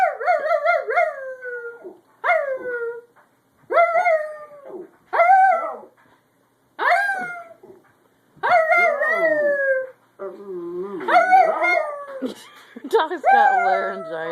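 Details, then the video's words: A dog that seems to have lost its voice, thought to have laryngitis or something stuck in its throat: a series of strained, cracking howls in roughly seven bouts, each starting high and sliding downward, with rough, broken tones near the end. "Dog looses voice"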